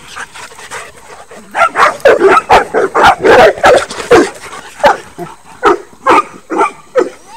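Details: A miniature dachshund and Saint Bernards dash along a fence at a dog run; quiet yips build into a dense, loud string of barks, then continue as spaced, evenly loud barks.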